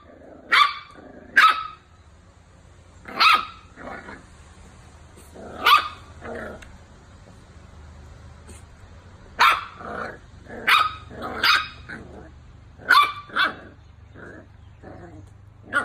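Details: Miniature Dachshund giving a run of sharp, loud barks, singly and in pairs, spaced irregularly over about sixteen seconds, with softer huffing sounds between them and a low steady hum in the background.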